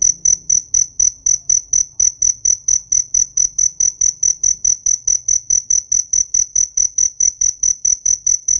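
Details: Cricket chirping: a steady train of shrill, high, ringing pulses, about two per second, with no other clear sounds.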